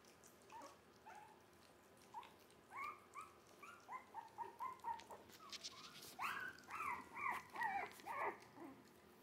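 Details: Jack Russell Terrier mix puppies, three weeks old, born 17 December 2020, vocalizing: a run of short, high, tonal whines and yelps repeated in quick succession, growing louder and more insistent in the second half.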